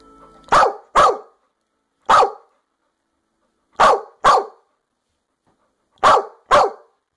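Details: American Staffordshire Terrier barking: seven sharp, loud barks, mostly in quick pairs about half a second apart, separated by silent gaps, with a faint steady tone at the very start.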